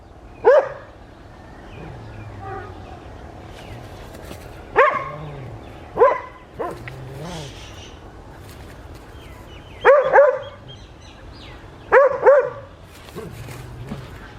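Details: West Highland White Terrier named Adriano in the garden and fields of Hoat Wala village, South Punjab, Pakistan, on a winter morning; sharp single and doubled barks spaced a few seconds apart, with low murmured voices between them.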